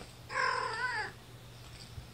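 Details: Domestic kitten, one of mother cat Gamora's litter of five born April 14, held in a lap indoors at a no-kill foster rescue north of Seattle, Washington, May 2018: one clear, tonal, slightly wavering meow lasting under a second, then quiet room hum.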